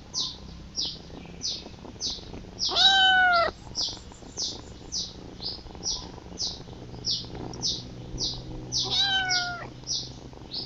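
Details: Kitten crying out for its mother with two short, wavering meows, spaced several seconds apart. A steady, regular high-pitched chirping pulses throughout and nearly dominates the scene.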